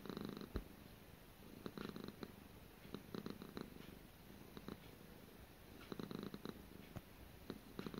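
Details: Gara, a pet cat indoors, purring in a low, rumbling rhythm of soft pulsed bursts, each swell lasting under a second and returning steadily across the recording in a quiet room.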